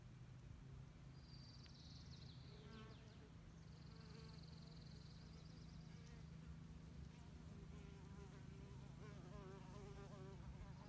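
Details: Mud-mining female mason bees at work produce a continuous low, even buzz for the full stretch. Scattered faint high tones and soft scratchy ticks appear in the background.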